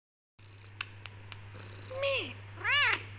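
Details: Black Persian cat with golden highlights, tortoiseshell, indoors, meowing back at its owner while kept in a room; two rising-falling meows after a few soft clicks, steady low hum throughout.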